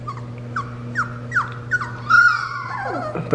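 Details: Three-week-old Fox Red Labrador puppies, on their first time out in the living room and finding their bark, give a quick run of high, squeaky yips, then a longer falling whine. Labrador Retriever.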